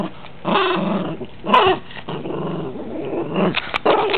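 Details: Rambo the dog makes plenty of noise during rough indoor play with his toys. Rasping, rolling growls swell and fade in uneven waves, with a sharp louder snarl early on and faint clicks of toys between.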